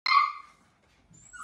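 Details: Kerry Blue Terrier puppies aged 7 weeks and 2 days: a single sharp, high-pitched yelp bursts out at the start and fades within half a second, followed by near silence and a faint rustle at the end.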